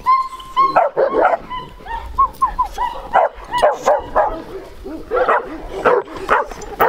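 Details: Bucovina Shepherd Dog of large size and strong temperament, 2021: opens with thin, high, steady whines, then breaks into a run of coarse barks coming roughly twice per second.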